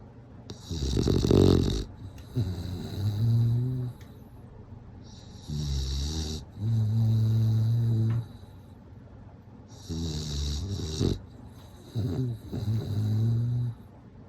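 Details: Bulldog asleep and snoring steadily, each breath a harsh rattling inhale followed by a low droning nasal hum, cycles repeating about every four seconds through the whole stretch.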